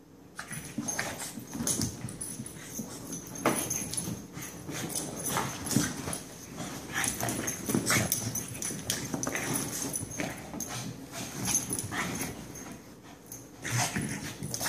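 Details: Benny and Lilly, a pair of dogs, worked up once more, keep up a long stretch of short harsh barks and yips. They come in irregular clusters, louder toward the middle and end, with a constant low hum underneath.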